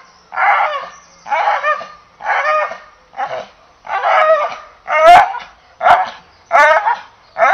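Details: English Bull Terrier barking in a steady run of nine mid-pitched, harsh barks, roughly one every 0.9 seconds. Each bark is short and rasping. There is a quiet background.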